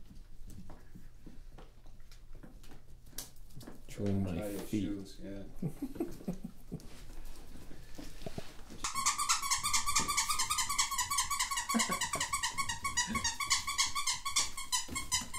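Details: German Shorthaired Pointer puppies from a litter of 13 born on New Year's Day 2014, indoors. People talk at first, then continuous high, shrill squealing whimpers with layered overtones pour out for the last six seconds.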